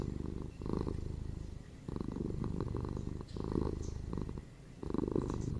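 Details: Cats purring, offered as soothing relaxation and sleep ambience: a deep, rumbling, pulsing purr that swells in bursts roughly every one and a half seconds, with brief softer breaks between, close and steady.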